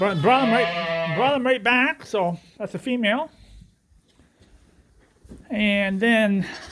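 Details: Suffolk lambs together in one big barn group at Ewetopia Farms following an escape through an open gate. A long trembling bleat is followed by shorter cries, a pause of near silence, then another sustained bleat.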